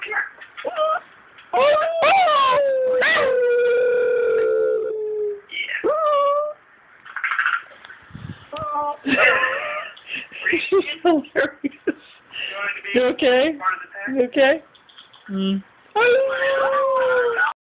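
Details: Pet dog howling along to sound from a computer: several drawn-out wavering howls, mixed with a person talking and laughing and with choppy bursts of sound from the computer.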